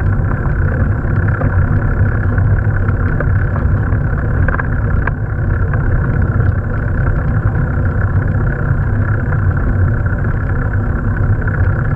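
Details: Steady engine and road rumble runs throughout, with no animal sounds.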